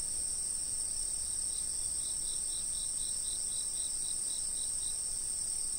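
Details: Fixed-camera recording of chirping insects: a sustained high shrill chorus joined by a regular train of short pulsed chirps, about four per second, running for several seconds over faint low noise.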